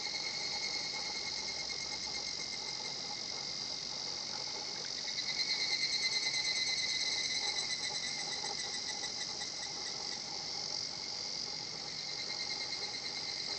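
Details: Higurashi cicada singing at a quiet natural spot in Japan, its kana-kana song heard as a steady, shimmering high buzz with faint rapid pulsing, swelling slightly mid-way, over a soft lower hum.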